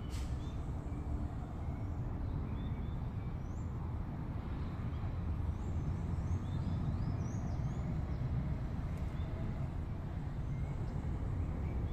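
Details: A continuous low rumble, like an idling vehicle or machinery, dominates throughout. A few very faint high chirps may sit far in the background, but no clear animal call stands out.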